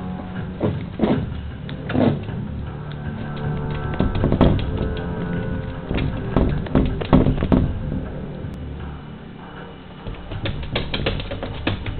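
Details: Background music plays throughout, broken by scattered thumps and knocking sounds. No clear animal voice can be picked out.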